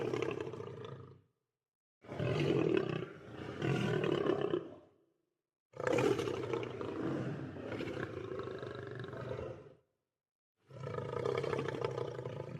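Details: Lion. A lion roars in heavy, rasping bursts, each lasting a few seconds with a throaty, growling texture. The powerful calls come in four waves broken by brief pauses.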